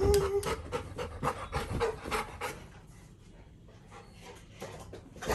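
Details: Little John, a Labrador Retriever puppy, pants while being decorated as an elephant for Ganesh Chaturthi: quick, breathy, rhythmic huffs, about three to four per second, fading toward the middle and then returning, with a faint squeaky tone near the start.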